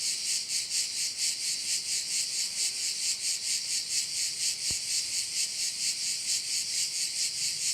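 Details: Crickets sounding over a bay in Korčula: a dense, hissing high-pitched chorus that pulses steadily about twice per second, with one sharp click midway.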